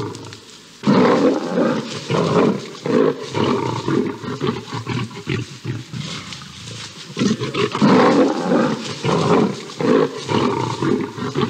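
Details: A lioness intervenes in a fight between two lions on grassland in Botswana. Loud, gravelly snarling roars pour out in rapid, ragged bursts, briefly easing mid-clip before a fresh surge of growling.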